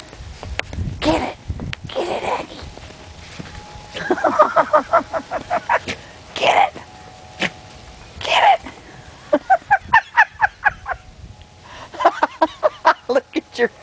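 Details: A Yorkshire Terrier puppy named Aggie romps in snow, giving bursts of rapid, high-pitched yaps in three rhythmic runs, with a person's encouraging voice and laughter between them.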